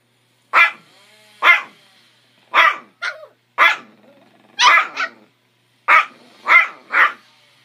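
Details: Chihuahuas, a 3-month-old puppy and a 13-year-old 3-pound adult, squabbling over a bone indoors: sharp, high yappy barks in short bursts, often doubled or tripled, roughly once a second with brief pauses between.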